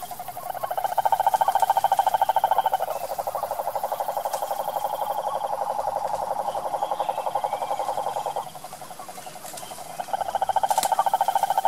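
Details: Cane toad (cururu), wild, in Brazil's sertão: continuous rapid pulsed trills lasting several seconds each at a steady pitch, one breaking off near eight seconds before another resumes strongly, with faint clicks.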